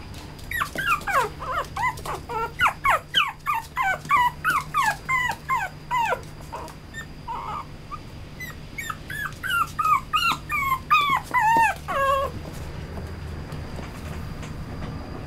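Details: A male Toy Poodle with a red coat whines insistently: long strings of quick, high, downward-sliding yelps come about three a second. A brief pause near the middle breaks the run, which resumes before trailing off into quiet room hum.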